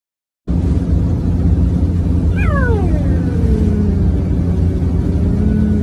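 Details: A cheetah (Acinonyx jubatus) in India gives a single cat-like call that slides downward in pitch, over a steady low rumble.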